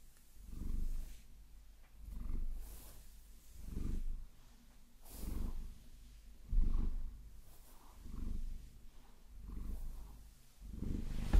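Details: Vasilisa, a pet Maine Coon, purring while massaged with long nails in a binaural recording; deep, low rumble rising and fading in regular waves roughly every one and a half seconds, with soft rustling between.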